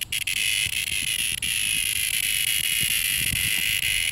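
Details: A single nearby cicada produces a loud, sizzling high buzz with brief stutters at the start, then runs steady, with low rustling thumps beneath.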